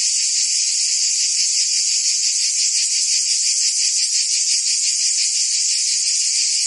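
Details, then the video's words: Continuous shrill buzzing of many cicadas in summer in Provence, France; the drone holds a fast, faint pulsation and stays level in volume, without other audible sounds. "Cicadas singing in France (Provence)"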